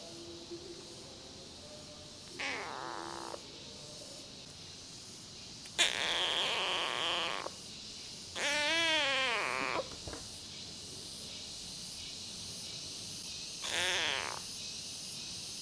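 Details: Rescued feral kitten named Namba, one-eyed, meowing: several separate harmonic calls of varied length, one wavering and drawn out, spaced by quiet gaps with faint background hiss.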